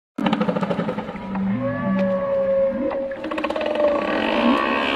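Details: Gray whale calling underwater: overlapping drawn-out tonal moans and higher whistled tones, some held steady and some bending upward, with bursts of rapid clicking pulses throughout.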